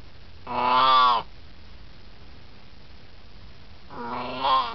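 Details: An 18-year-old Siamese cat chats while relaxing: a long, strong yowling meow lasting nearly a second, then after a pause a second meow that swells at its end.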